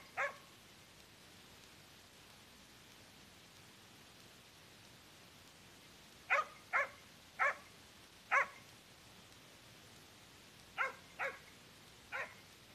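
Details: A hunting dog on a wild boar hunt barks in sharp bursts, baying to hold a wild boar at bay.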